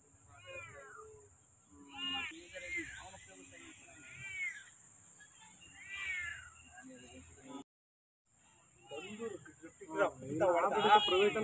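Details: Domestic cat meowing in a series of arched, harmonic calls around two seconds apart, with a busier, louder stretch of overlapping meows near the end; a steady high-pitched tone runs throughout.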